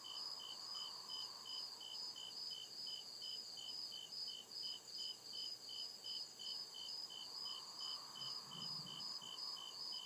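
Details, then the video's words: Crickets chirping at night in deep woods: steady high pulsed trills repeating rapidly in stacked bands, about two to three pulses per second, over a soft broadband hiss with a faint lower hum. "CRICKET CHIRPING SOUND"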